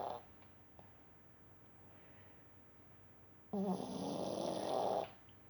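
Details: Snoring dog, a single loud harsh rasping breath roughly one and a half seconds long after a quiet stretch, with a low buzzing throb and a faint high hiss in a small room.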